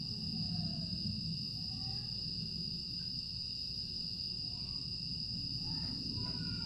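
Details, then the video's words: Night-time grass insects in Aewol on Jeju, 25 August 2022, a calm summer evening. They keep up a continuous high-pitched ringing drone without pauses, set against a heavy low background rumble, with a few faint brief chirps near the end. "풀벌레 소리"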